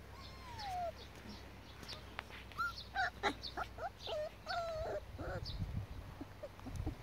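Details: Border Collie puppies from two litters, six and four weeks old, at the Nebeský sen kennel: high tonal whines and whimpers, some sliding downward, others short and repeated, with low handling noise underneath.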